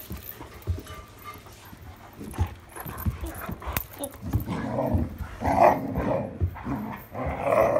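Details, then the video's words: Irish Setter playing at night with a new toy on 26 July 2022: soft thumps and rustling at first, then a run of low, throaty grumbling whines that swell louder and more insistent through the second half. "New toy and I got bullied while trying to take a video 26 July 2022 Irish Setter"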